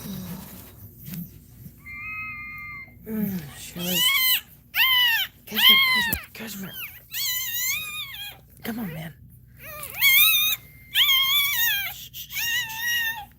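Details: A Cane Corso cries while Cashmere, another dog, is in labour. It gives a series of high, wavering whines, each rising and then falling, separated by short pauses, with low human voices between them.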